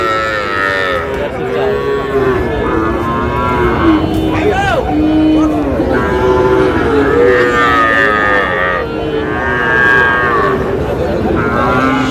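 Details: Very young bull calves bought by a Cumilla farmer on 14 May bellow repeatedly. Long, wavering moos overlap, some bending upward, over constant background chatter and crowd hubbub.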